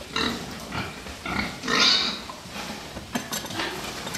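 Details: Fattening pigs in a farm pen: a series of harsh, harmonic squeals and grunts, one long loud shriek in the middle, followed by quicker clipped grunts and clatter.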